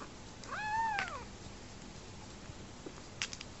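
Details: Rescued homeless male kitten, his mother dead shortly after his birth, enjoying his bottle; one clear drawn-out meow that rises then falls over about a second, followed by quiet room noise and a few faint clicks.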